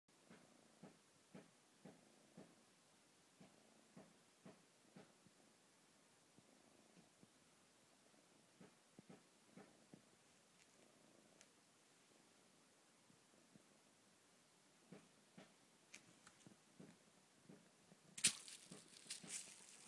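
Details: A lemur purrs softly indoors while being stroked and settling down to sleep, low rhythmic pulses repeating about every half second, with faint rustling and a sharp clatter near the end.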